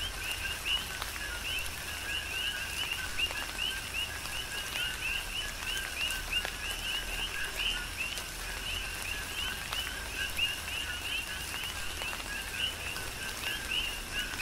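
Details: Many coquis call together through a tropical downpour on the Big Island, Hawaii: a constant layered stream of high rising chirps and lower tonal notes, with rain hiss and sharp raindrop taps.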